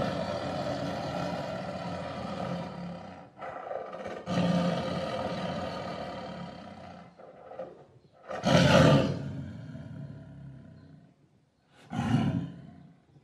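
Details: Low growling rumble from a tiger builds over several seconds, followed by two short, explosive roars separated by near silence.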